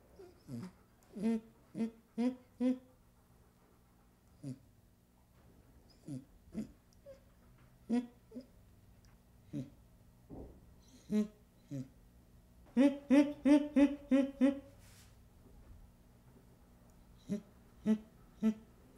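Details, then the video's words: Baby chimpanzee giving short, harmonic, hoarse calls, single or in pairs every second or two, then a quick run of six louder pant-like calls near the middle, with soft breathy sounds between in a quiet setting. "Baby Chimpanzee Sound"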